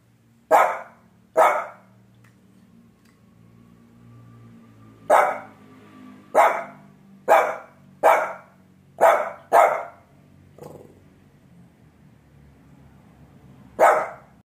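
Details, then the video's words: Dog giving loud, sharp single barks, about nine in total at irregular gaps of one to four seconds, with a low hum in the background. "dog barking"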